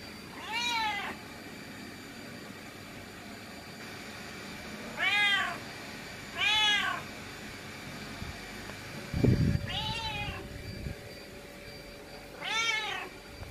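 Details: Domestic cat protesting at being left behind, giving five clear, arched meows that rise then fall, spaced unevenly over about twelve seconds, with a dull thump and low rumble partway through.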